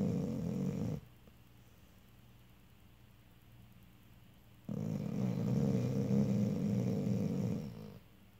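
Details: A Vizsla snores with low, rasping rumbles separated by a quiet pause.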